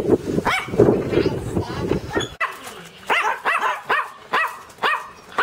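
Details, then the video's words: A dog barks amid a noisy, mixed stretch with a voice, then after a cut gives a clean run of bright, evenly spaced barks, about two per second. "Som do Cachorro Cachorro latindo"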